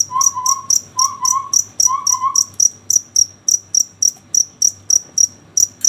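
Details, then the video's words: Cricket chirping at night, a regular train of high, bright ticks repeated almost four times a second, with a few soft whistled notes in the first two seconds and quiet background hum. "Suara jangkrik ngerik di malam hari"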